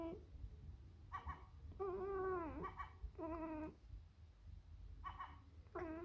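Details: Birman cat calling to a seagull with a series of clear harmonic meows, one long drawn-out note that falls at its end, plus brief chirps between calls, against a low background hum.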